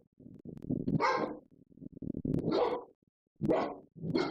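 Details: Pet dogs left at home alone while their owners are out, breaking the rules about furniture. Irregular bursts of rough barking mixed with short yowls, in four loud outbursts separated by brief pauses.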